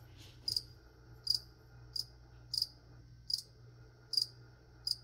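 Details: Indoor ASMR recording with plants being sprayed and a cricket giving sharp, high-pitched chirps about every 0.7 seconds. A constant low hum sits underneath.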